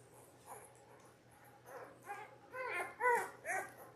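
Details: Ten-day-old Labrador Retriever puppies from a litter of six born January 18, 2022, on a live puppy cam: a run of thin, high squealing whimpers with bent, wavering tones, growing louder and closer together, about six cries in four seconds, over a steady low hum.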